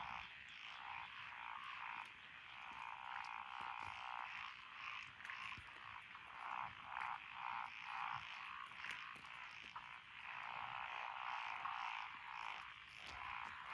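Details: Frogs in lotus-planted rice fields of Echizen, Fukui Prefecture, Japan, on 12 June 2021, giving quick repeated croaks about two a second within a softer background chorus that swells and fades.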